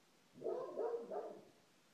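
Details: A dog repeatedly barks at 7:30 on the clock, a quick run of three mid-pitched barks running together; owner says this time is always the worst for him.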